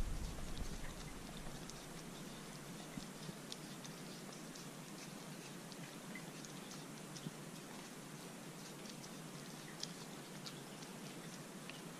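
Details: Crunchy chewing and scattered ticking clicks over a steady hiss, with no animal calls. No voice or call of any animal rises above the noise.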